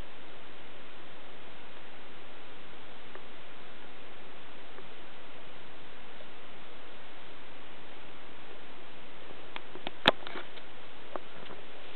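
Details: Quiet indoor room tone, low and even, broken only by a single sharp click near the end.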